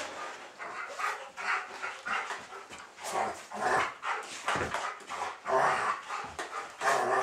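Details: Schnauzer friends Bodie and Eric in a boisterous play rumpus, letting off steam; a busy run of short, harsh barks, growls and yelps tumbles almost continuously, rising and falling in loudness without a steady rhythm.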